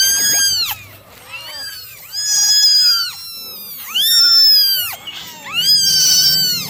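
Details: Nine domestic kittens meowing during a morning drying routine: four drawn-out, high, harmonic-rich meows, each arching then sliding downward, spaced roughly every one and a half seconds, with brief quieter gaps between calls.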